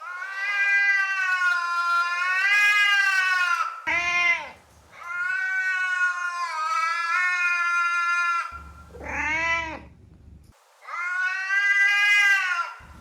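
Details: Domestic cat vocalizations used to attract another cat: long drawn-out harmonic meows of about four seconds alternate with short, sharply bent cries, with quiet gaps between calls.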